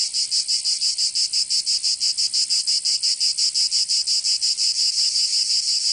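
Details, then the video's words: Cicadas of Provence in southern France singing in summer, a piercing metallic buzz beating in rapid even throbs, about three each second, with nothing else audible. "Canto Cigarra 🦗 [ Escuchar les cigarras en verano 10 H]"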